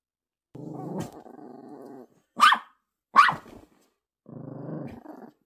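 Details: Poodle puppy squabbling with another dog over a ball, which it ends up hiding under a blanket: low rumbling growls at the start and end, broken by two sharp yelping barks in between.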